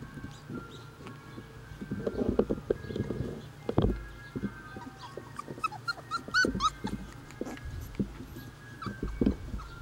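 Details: Basset Hound puppies outside for the first time, thought to be getting warm and panting, give high, thin whimpering squeals in a quick rising-falling cluster midway, after low thumping and rustling handling noises, with a few softer yips near the end.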